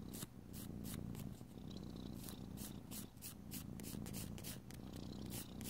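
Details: House cat purring contentedly indoors during nail filing; the even low vibrating purr holds throughout while quick, regular rasps of a nail file sound several times a second.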